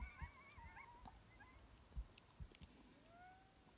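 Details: Sixteen distant timber wolves howl in chorus on a ridge about 700 yards away in Wrangell–St Elias National Park, Alaska, September 2018, wavering, sliding tones rising and falling over one another, as an electronic coyote call tries to draw them in.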